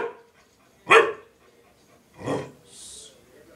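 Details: Pet dog barking indoors because it wants to go out but cannot: two loud, sharp barks about 1.4 seconds apart, followed by a short hiss-like noise in a quiet room.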